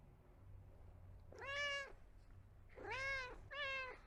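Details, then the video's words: Kitten giving three meows, one drawn-out cry followed after a pause by two more close together, each arched in pitch, over a steady low background hum. "Sounds to Make Your Kitten Come to You. Kitten Meows Sound Effect."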